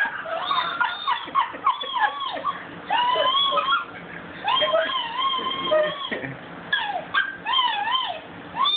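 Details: Pet dog howling, recorded on a phone; a long run of wavering, yodelling howls with rising and falling arched notes, broken by short gaps and quick yips, the pitch swinging repeatedly throughout.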